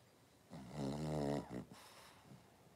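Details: Cavalier King Charles Spaniel in a pen of five blenheim puppies with their mother Paris, born at New Year's, filmed 26 January 2023: one low, harmonic-rich groaning whine lasting about a second, ending in a short breathy snort, over quiet background.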